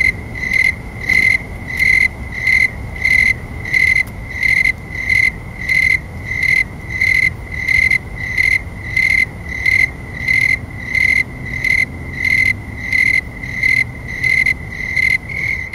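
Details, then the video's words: Snowy tree crickets singing around 9 PM on an August night in 2011 at about 70°F, chirping faster in warmer temperatures; clear high pulses repeated steadily, roughly one and a half per second, in unison over faint low background hum. "Cricket Sound and Video (Snowy Tree Crickets)"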